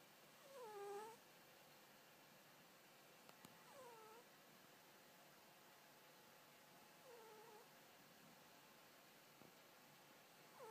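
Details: Sleeping male Scottish Fold kitten, six months old, kept in a cage, snoring with soft, falling whistle-like tones that recur about every three seconds, faint against quiet room hiss, with a couple of small clicks.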